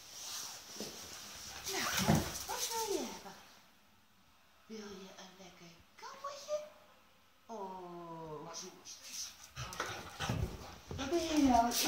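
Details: Eleven-year-old Schapendoes Tubbie, being offered treats indoors, produces drawn-out, rising harmonic whines in two spells, between stretches of human talk in a small room.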